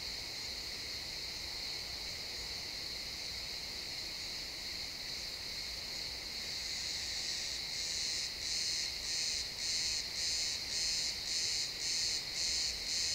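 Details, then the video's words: Sunset in a pine forest, XY stereo: a continuous high cricket drone fills the woods, then from about seven seconds a nearby cricket joins with regular chirps, roughly two per second. "Cricket sounds in the pine forest"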